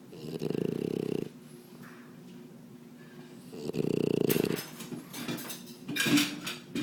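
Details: A sleeping French bulldog snoring indoors: two long, rasping low snores about three seconds apart, each lasting roughly a second, with quieter breathing between and a brief higher snuffling noise near the end.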